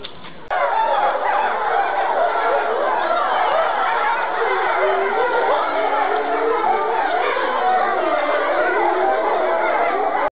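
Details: Several European wolves at Tama Zoological Park howl together, their long sliding voices overlapping into a wavering chorus.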